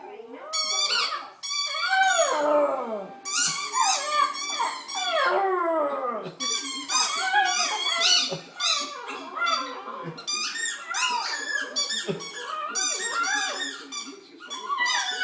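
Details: A dog playing with squeaky toys makes a run of high, squeaky whines and yelps, rising and falling in quick bursts.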